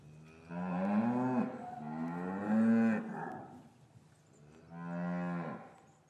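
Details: Cows in an English farm cattle yard on a winter afternoon after calves were taken from their mothers, giving three loud drawn-out moos in succession, each about a second long with strong harmonics, separated by short quiet gaps.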